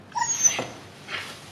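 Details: Siberian Husky female in labor during her second birth: a short tonal whimper with stacked harmonics and a thin high squeal, followed by a breathy exhale in a small room.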